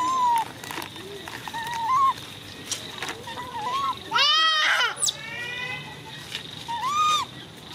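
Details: Baby monkey Coco screaming: thin, harmonic squeals that rise and fall, then a loud, strained burst of stacked screams near the middle and a shorter arched squeal at the end, over a steady background hum and some splashing.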